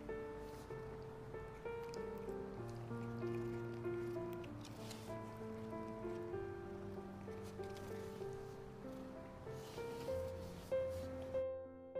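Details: Soft background music with sustained tones and a slow melody, plus light rustling, cutting off near the end.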